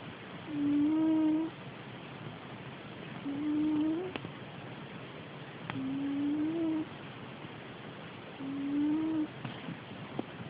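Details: Sleeping pet cat snoring, a nasal whistled tone on each breath lasting under a second, rising a little at the end, repeated four times roughly every two and a half seconds against faint room hiss.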